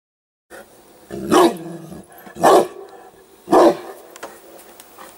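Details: Newfoundland dog reacting on seeing a hedgehog, giving three deep single barks about one second apart, each a short broad burst, with quiet background between.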